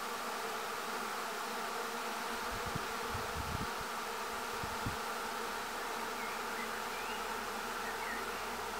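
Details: More than 15,000 bees clustered on a tree; their continuous droning buzz holds steady throughout, with a few low thumps of handling or wind in the middle.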